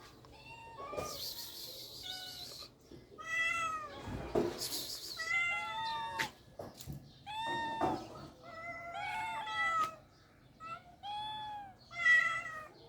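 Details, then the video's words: Cats in a rural setting meowing repeatedly, a series of harmonic, wavering meows, some rising then falling, with brief noisy bursts and scuffling sounds between calls. "The sounds of cats in rural life are beautiful"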